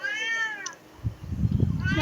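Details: Pet cat in the Philippines gives a single short meow, arching up then down over under a second, followed by low thumping and rustling indoors.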